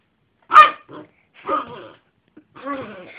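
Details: Pet Yorkshire terrier giving a sharp bark followed by softer, rougher barks and a drawn-out grumbling vocalization, all within about three seconds.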